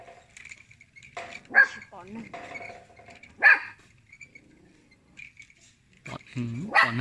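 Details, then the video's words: Little dog barking at people in short, sharp single barks, about three in seven seconds, irregularly spaced, while people talk nearby. "Little dog barking at people"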